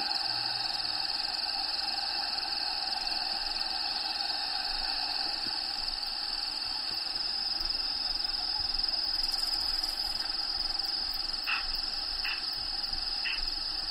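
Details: Crickets inside a bearded dragon vivarium shared with the dragon Diego, natural habitat sounds playing in the background: a steady high, shimmering trill runs throughout, with a few brief higher chirps near the end over a constant hiss.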